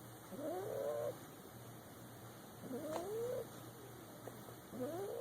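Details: Sleeping boxer puppy lying in a lap, giving high, wavering whistled snores that rise and fall, three breaths in about five seconds over a faint constant low hum.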